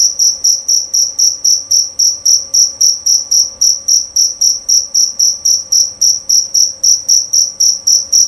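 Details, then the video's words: Jerabang cricket giving a loud, clean series of shrill chirps at a brisk, even pace of close to four per second, each pulse short and ringing, with a faint steady hum beneath. "Bunyi Suara Jangkrik Jerabang Nyaring dan Jernih"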